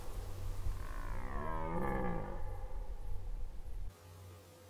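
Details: A red deer stag during the 2019 rut in Poland gives a deep, drawn-out rutting roar that swells and then fades.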